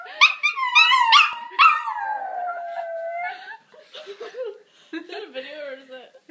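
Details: A dog howls because of its owner, opening with short yelping notes and then a long, wavering howl sliding slowly down, followed by softer broken whines and murmuring voices.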